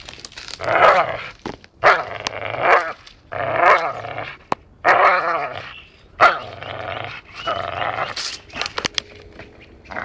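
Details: Playful dachshund biting as it plays, giving a run of harsh, buzzy growls in roughly seven bursts over ten seconds, broken by sharp clicks and knocks.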